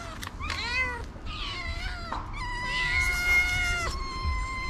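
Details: A stray tortoiseshell cat among several ginger cats gives a run of drawn-out, wavering meows, asking to be fed.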